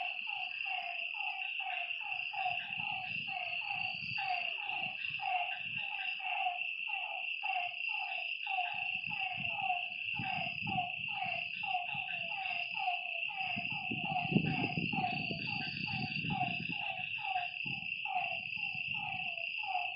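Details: Lakeside frogs croaking after dark in a dense, uneven chorus of short downward notes, with a continuous high insect whine and bursts of low rumbling noise.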